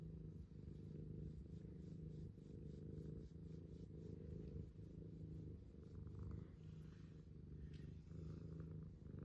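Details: Continuous low, throaty purring from a cat over about nine seconds, evenly sustained with slight rhythmic pulsing and faint clicks.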